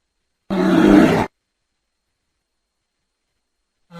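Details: Bear producing a single rough, throaty roar lasting under a second, followed by silence.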